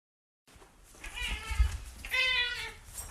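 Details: Domestic cat or kitten meowing twice in quick succession, bright harmonic cries with a slightly wavering tone, the second louder and sharper, with low thumping noise underneath.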